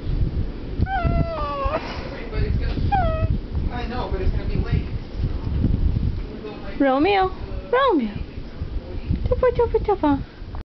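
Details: Pet French Bulldog Romeo makes short whines and yelping howls, some sharply rising then falling, mixed with a quick run of brief yips near the end, over steady low background noise.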